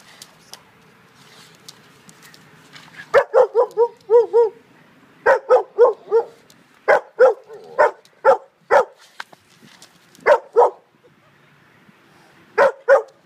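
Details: Great Dane playing with a tow strap, giving a dozen or more deep, resonant barks in quick clusters after a quiet opening, one wavering, yelping run midway, then short pairs of barks toward the end.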